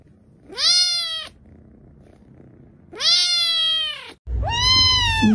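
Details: Three clear meows from Laolao, a pet male cat indoors, each a smooth rising-then-falling cry about half a second long, with quiet pauses between the first two and low background rumble under the last.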